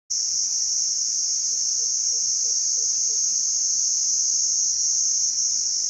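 A cricket gives a steady, high, shrill trill that runs unbroken from start to finish.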